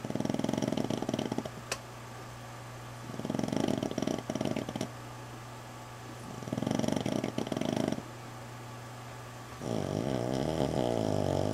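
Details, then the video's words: Female dog recovering from fight wounds, asleep in a bedroom: three drawn-out rattling snores, each about one and a half seconds, separated by quiet pauses, then a smoother wavering breath at the end, steady low hum beneath. "Snoring Dog"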